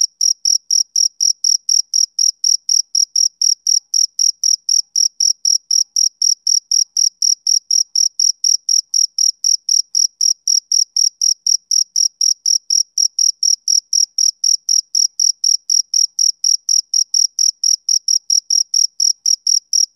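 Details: Male cricket keeping up an even train of piercing chirps, around eighty in twenty seconds, each pulse equally loud, over a completely quiet background.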